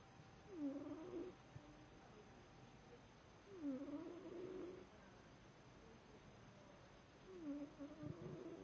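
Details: Domestic cat snoring: soft, rasping breaths that recur roughly every three seconds, low and quiet against a steady background hiss.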